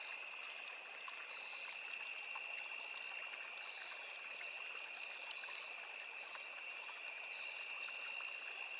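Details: Crickets in a forest beside a small river, many insects trilling at once as two steady, unbroken high-pitched bands of sound, with the soft rushing and trickling of the stream underneath throughout.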